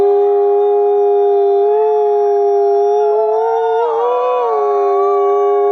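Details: Several wolves holding long, smooth howls in unison at close but different pitches. One voice wavers and bends upward near the end while the others sustain beneath it.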